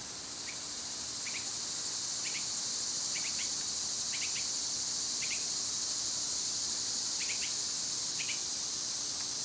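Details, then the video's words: Cicadas in summer keep up a constant high whining buzz, while short paired chirps from another creature repeat roughly once a second underneath. "Birds & Squirrels w/ Cicada sounds"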